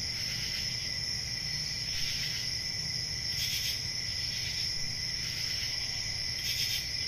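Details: A cricket chorus from a quiet rural summer night, an unbroken piercing high trill over a lower buzz, with a few short hissy swells and a steady low rumble.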